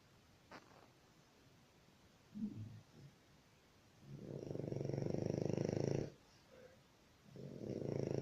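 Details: Snoring dog: two long, rasping, pulsed snores, the first lasting about two seconds, the second beginning near the end, with a few faint soft snuffles before them in a quiet indoor setting.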